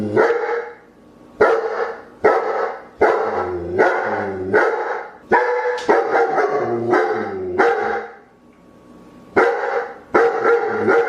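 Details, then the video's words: Loud dog barking in quick irregular bursts, some barks doubled or run together in rapid volleys, with brief pauses between clusters and a reverberant ring after each. "CACHORROS LATINDO - SOM DE CACHORRO"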